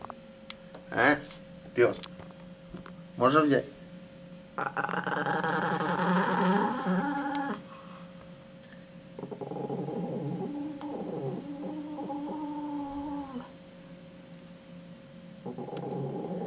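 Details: Dog refusing to hand over a chicken bone: a few short spoken words, then a rumbling growl swelling for about three seconds, followed by lower, softer grumbling growls with pauses, indoors.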